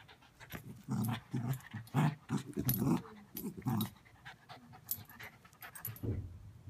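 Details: Odie, an energetic Bichon Poodle mix dog, growls in play while chewing on a rope, filmed indoors on an iPhone 6; low rumbling growls in short bursts with huffing breaths and chewing noises, pausing briefly then resuming near the end.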